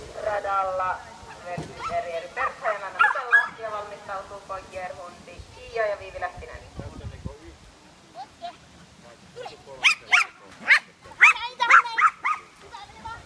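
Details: Welsh Terrier at a class III agility course competition in Rauma on 22 July 2018: voices talk over early yelps and whines, then a run of sharp, high barks repeats roughly twice a second near the end.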